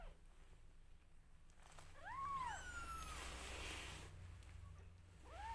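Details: Newborn domestic kittens meowing loudly while their mother grooms them: a high, arched, harmonic mew rising and falling over about half a second, then a quieter swishing stretch and another mew starting at the end, over low background rumble.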